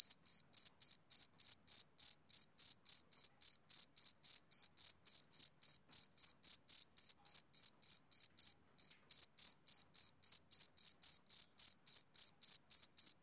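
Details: Summer-evening song of a male cricket, a long run of sharp, ringing chirps about three to four per second, with a single short gap partway through and a quiet background.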